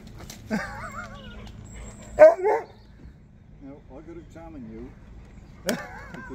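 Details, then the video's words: Excited Husky crying with joy on seeing people, giving short wavering whines and a sharp yelping cry among quieter whimpers, while a person talks to the dog about a scarf. "Husky Cries With Joy When He See's Them"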